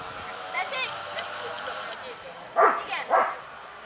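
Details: Voices talk for two seconds at the 2017 Kuvasz club show in Kishegyes, then a Kuvasz gives two loud, abrupt barks about half a second apart, with the crowd's hum continuing beneath.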